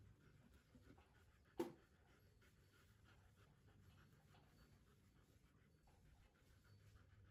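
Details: Happy, a Siberian Husky, after a shampoo bath on a warming day. Soft, steady panting breaths come in quick succession in a quiet room, with one sharp knock partway through.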